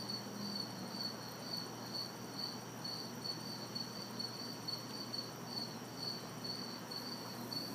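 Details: On a humid summer night in an urban backyard, crickets and cicadas keep up a regular high chirping, roughly two pulses per second, over a soft hiss of distant city traffic.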